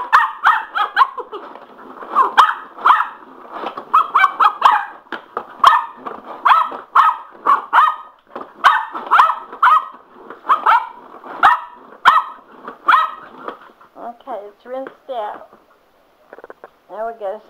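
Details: A male Cocker Spaniel named Sugar, wild about a spin mop, barks in a fast, steady run of sharp yaps for about fourteen seconds, then switches to high, wavering whines and yelps.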